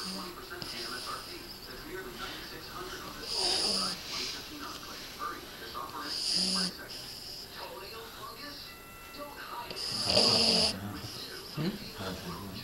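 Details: Male red Boston Terrier asleep and snoring: three separate raspy, breathy snores spaced several seconds apart, with people talking quietly between them.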